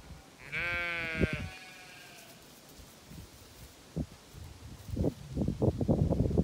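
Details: Zwartbles sheep on a County Kilkenny, Ireland farm, bleating in unusually high heat though the water tank is fine; one long quavering bleat, then thumps and trampling footsteps through grass.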